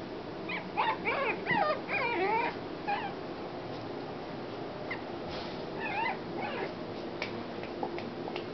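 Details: A female Shih Tzu gives soft, high, squeaky whimpers in quick wavering bursts, bunched in the first three seconds and again around six seconds, over a quiet indoor background hiss.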